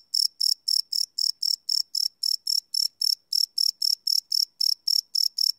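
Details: Crickets chirping at night, recorded live on a Sony PCM D100 field recorder: sharp, high-pitched pulses repeated about four times per second in a steady train, with no other sounds.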